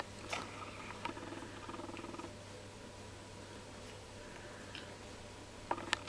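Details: Jack Russell Terrier litter at three weeks old, puppies tasting each other: quiet rapid-pulsed grunting runs in the first two seconds, then near silence, ending in a few sharp clicks and squeaks; constant low hum beneath.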